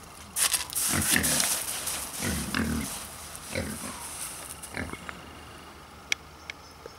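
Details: A pair of endangered Hungarian woolly pigs (Mangalica) grunting in a zoo enclosure at Wanne-Eickel, Germany, while cuddling. Low, rasping grunts run together in the first three seconds, followed by a few softer snorts and scattered clicks.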